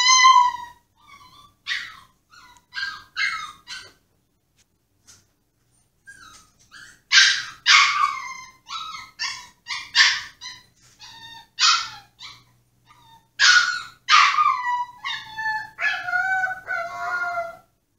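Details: A Pomsky just placed in his cage throws a tantrum, whining, yipping and howling in high, tremulous bursts while pawing at the cage to be let out.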